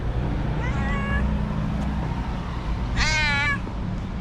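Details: Angry white female cat turned nervous, meowing: a softer, shorter meow followed about two seconds later by a loud, insistent, wavering meow, low humming background throughout.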